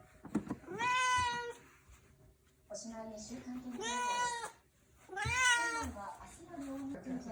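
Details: Indoor orange tabby rescue cat demanding food: three long, loud meows spaced about two seconds apart, each arching up and down, with quieter human voices in between.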